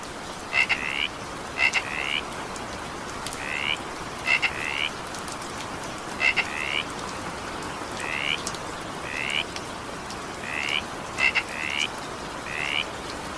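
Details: Frog chorus in evening rain. Quick upward-sweeping rasps come in small clusters, often opened by bright clicks, recurring irregularly through a constant wash of falling rain.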